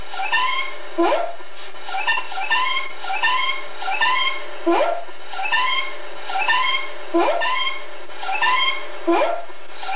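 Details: Ozzy, a pet cat, filmed on Sept. 27, 2013 apparently saying "Good Day?"; a run of harmonic, arching meow-like calls about once a second, each opening with a sharp falling onset, over a steady low hum.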